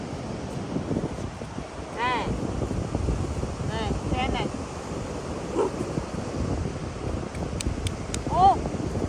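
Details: A pet female monkey raised by a family gives brief, arched squeals of fright when meeting crabs on a beach, over steady surf and wind.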